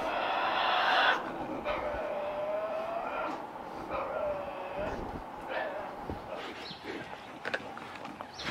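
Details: Tasmanian devils feeding at night, growling and screaming to defend food while tearing prey and crunching bones; a harsh, loud scream fills the first second, then lower wavering moaning growls drawn out over several seconds, with scattered crunching clicks.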